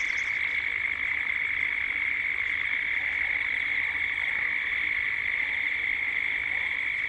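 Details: Dusk chorus of cicadas in Gippsland, Australia: an unbroken, even, high-pitched buzzing drone filling the whole recording, with a faint pulsing texture and a brief higher chirp at the start.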